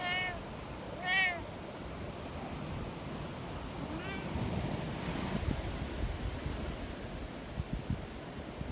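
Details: Community cats checked on in a windy mountain storm: two clear meows at the start, a fainter third one a few seconds later, then steady gusty wind noise.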